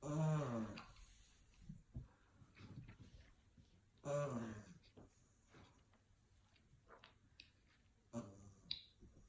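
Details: Sleeping English Bulldog puppy snoring indoors in a small room: harmonic, throaty snore bursts arrive roughly every four seconds, with soft breathing and faint small clicks and rustles between them.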